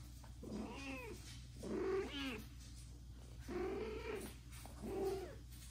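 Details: Domestic mother cat nursing an adopted kitten, older than her own three newborn kittens, indoors; four drawn-out, arching meows with rich harmonics, each about half a second to a second long, spaced roughly 1.5 seconds apart over a steady low hum.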